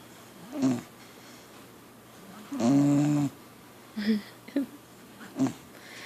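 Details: Zoe, a sleeping Pit Bull, gives one drawn-out, tonal, wheezy snore lasting under a second, with short soft snorts before and after in a quiet indoor room.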